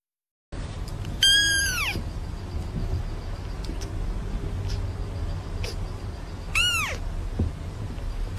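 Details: Kittens meowing: two high, harmonic, downward-arching meows, one near the start and another about five seconds later, over a steady low background hum, followed by a person praising in German.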